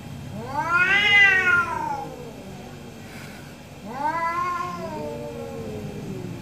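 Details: Two orange cats trading meows in the morning; a long arching meow, a short pause, then a second falling meow with a softer trailing tone.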